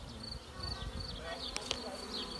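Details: A swarm of honey bees with their queen, settled in an apple tree, gives a steady, droning hum with a couple of sharp taps.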